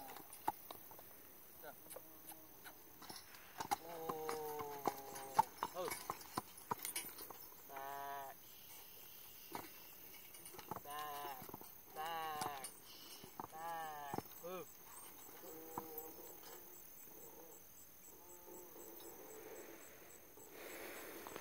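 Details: Percheron gelding whinnying in several short bursts with wavering, quavering tones, the loudest near the middle and toward the end, with hoof clops in between.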